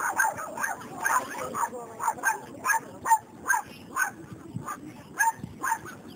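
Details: Male Chinese Crested Dog at an international dog show in Moletai, Lithuania, on 23 May 2014; short sharp barks repeat at an uneven rapid pace, over a murmur of voices in the show hall.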